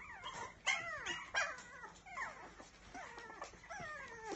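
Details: A Biewer Terrier puppy whines and whimpers in a rapid series of thin, high, falling cries, several overlapping squeaky yelps following one another without pause.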